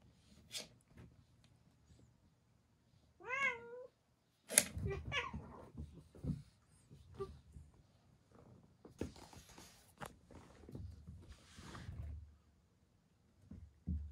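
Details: White odd-eyed senior cat, taken into protective care from Tochigi in October 2018 and recovered after nursing, indoors among resident cats; one short wavering meow with stacked harmonics, then thumps, rustling and handling noises in a small room.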